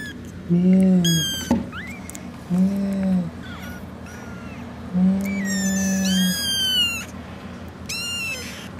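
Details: Six kittens calling to their mother: short bursts of high, harmonic-rich, slightly rising meows, alternating with a steady low droning tone that rises and falls in loudness.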